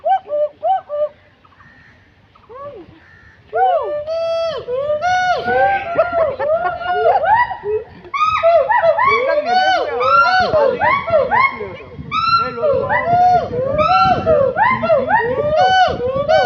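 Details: Gold and black monkeys at Assam State Zoo in Guwahati give rapid, overlapping, arched hooting calls that swell into a busy, excited chorus.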